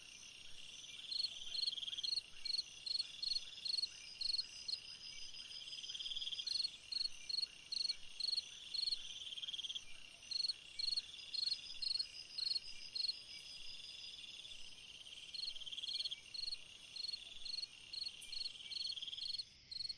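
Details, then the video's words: On a summer night a cricket repeats short high pulsed chirps steadily, about two each second, with occasional softer trills and a constant high insect hum behind. "Chant d'un grillon dans une nuit d'été / Singing a cricket in a summer night"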